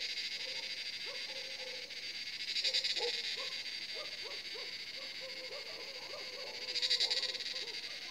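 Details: Cicadas in a forest in India fill the air around sunset, about 7 pm, with a steady, high shrill buzz that swells louder in pulses.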